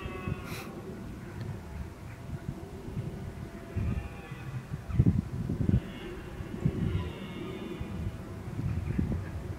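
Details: Bellowing red deer in October 2014, getting ready for the rut: low, throaty roaring bursts grow stronger near the middle, with faint higher whistled tones drifting above a steady rumble.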